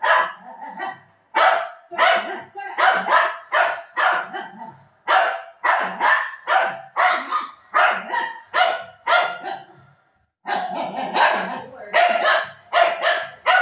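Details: Dog barking in rapid bursts, more than twenty sharp, harsh barks in quick irregular runs, with a short silent pause near the tenth second before the barking resumes just as loudly.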